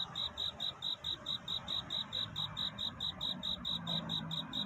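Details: Cricket calling for a mate at night before daybreak, giving crisp high chirps at a regular pace of roughly four per second, with low rumbling background noise beneath.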